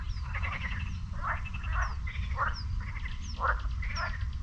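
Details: Morning chorus of frogs in a lake near the Sinemorets beach, May 2022: many callers give raspy, pulsed croaks roughly every half second, while short descending bird whistles sound faintly overhead and low rumble persists.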